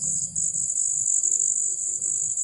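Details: A large cricket-like insect, bigger than a common cricket, gives a shrill, unbroken high trill that holds steady, calling at dusk in a village as evening turns to night.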